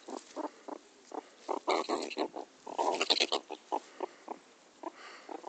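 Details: Rasping pulsed chatter from a pet meerkat during teasing play with its owner: short noisy grunts repeated several times a second, with louder clustered bursts around the middle, then sparser calls.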